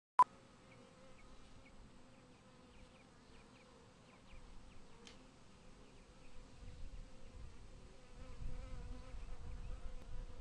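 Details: Killer bees coming and going and crawling on a wooden beehive: a steady low buzzing hum with faint overtones, growing louder and rougher toward the end, after a sharp click at the start.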